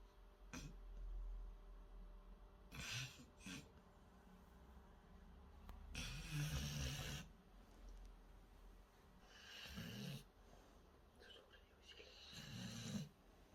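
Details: A female Rottweiler sleeps with eyes open and tongue half out, snoring like a human in deep, rattling breaths with breathy, hissing exhalations between them.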